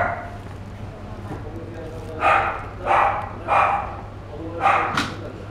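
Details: Pet-shop Chihuahua, a fawn male born in 2016, yaps four or five times at uneven intervals, the barks slightly softer and breathier, with a low hum and some background voices.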